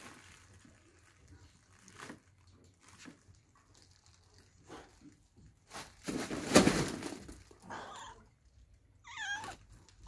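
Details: Kittens or cats meowing indoors: a few faint short calls, then a loud harsh noisy burst midway, followed by a wavering, quavering meow near the end.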